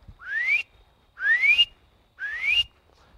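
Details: A spring peeper, a tiny frog heard on the first warm evenings of spring, gives clear, rising peeps about one each second.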